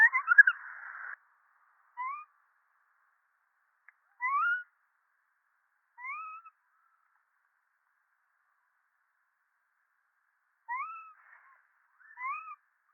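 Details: Monkey giving short, clear, whistle-like calls that rise and then dip, each about half a second long, spaced a few seconds apart with a long silent gap midway; a brief harsh, noisy burst opens the recording.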